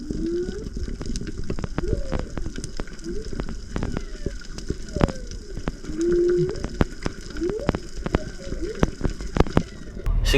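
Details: A whale off Tonga, a breeding area where mothers teach calves, recorded by a microphone lowered into the water from a boat, gives short, low moans swooping up and down over steady underwater crackling and popping.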